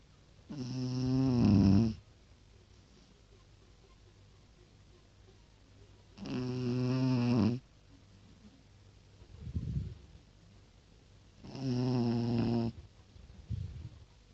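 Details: Pekingese named Tosha snores in regular cycles: each loud, droning, nasal inhale lasts over a second and is followed by a short airy exhale, three snores spaced about five to six seconds apart.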